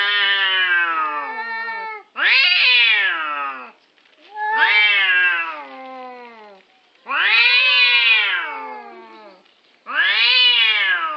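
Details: Orange cats fighting over a parking spot, giving five long, drawn-out wailing yowls, each about two seconds, rising then sliding down in pitch, separated by short silent gaps.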